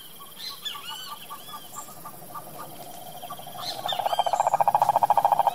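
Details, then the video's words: Cane toad in wild Brazilian Pantanal country; several birds chirp and whistle first, then a loud, fast pulsed mid-pitched trill starts and dominates the final seconds. "SAPO CANTOR SELVAGEM anfíbio silvestre"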